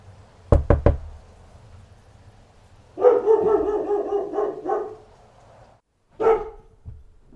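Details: Three sharp knocks open the recording, followed by a dog's burst of rapid, overlapping barks lasting nearly two seconds and then one more single bark after a short gap.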